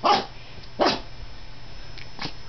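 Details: A female toy poodle at home with a man, giving two sharp barks close together near the start, then a softer third bark after a pause, over low household hum.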